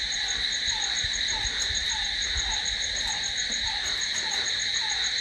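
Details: Crickets at night, recorded for sleep: a steady, continuous high-pitched shrill trilling in several layered bands, with a softer, lower short note repeating about twice a second underneath.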